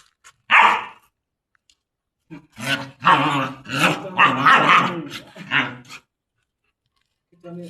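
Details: A German Shepherd chained for the first time lets out one sharp bark, then a stretch of deep growling barks over a few seconds before going silent; a person speaks briefly.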